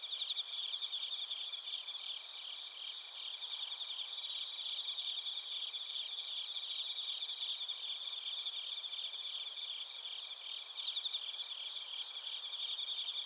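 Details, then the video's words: Suzumushi bell crickets and korogi crickets sing together in Narita, Chiba, Japan, recorded with a TASCAM Portacapture X8; steady high trilling layers with quick repeated chirp pulses run throughout, with no other sounds. "スズムシとコオロギの鳴き声 - Chirping of crickets"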